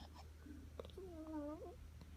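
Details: Nine-week-old Rottweiler puppy Roni, a spoiled pet, making funny sounds while sleeping indoors: one drawn-out, wavering whine lasting about a second, ending in a small upward wobble, over a steady low electrical hum.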